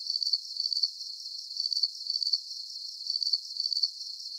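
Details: Short run of cricket chirping in a calming sleep soundscape: bright, high pulsed trills in clusters of about three, spaced roughly every half second, a faint hiss beneath and no other sounds.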